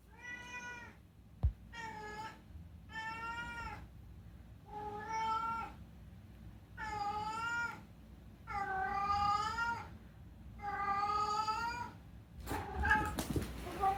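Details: Rescued pet cat meowing at night indoors: a series of about seven drawn-out, wavering harmonic meows, each around a second long with short pauses, growing louder toward the end, followed by a faint rustle.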